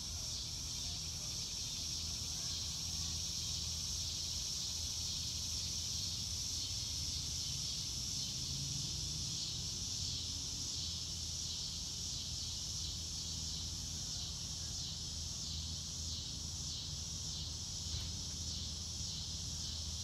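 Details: Crickets on a clear blue-sky day, recorded in real time: a dense, steady high-pitched insect chorus with fine rapid pulsing, over low, even rumbling background noise.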